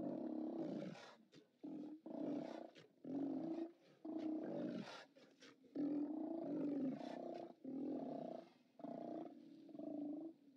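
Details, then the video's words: Chorus of Steller sea lions at a haulout, live cam recording from 29 October 2017: many overlapping harsh roars and barks in rapid irregular bursts, continuing through the whole stretch with almost no pause. "Steller Sea Lions"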